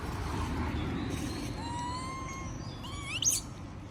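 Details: Moby, a monkey, pleads for food while others munch peanuts: a long, smooth whistled tone with stacked overtones, then a quick rising squeal near the end, against a steady low background hum.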